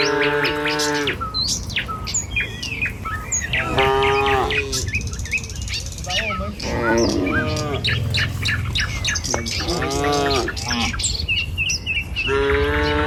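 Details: Tame cattle in a herd walk a village road in the morning toward their pen, lowing in several drawn-out, harmonic moos spread through the walk, with birds chirping and twittering over them throughout.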